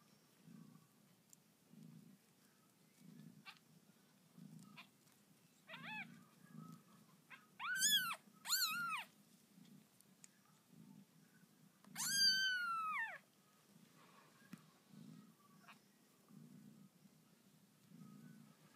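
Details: Mews from newborn kittens of the pet cat Lucy, one named Cairo, indoors: a burst of four thin, bending cries between six and nine seconds, then one longer falling wail, above a soft rhythmic low throb.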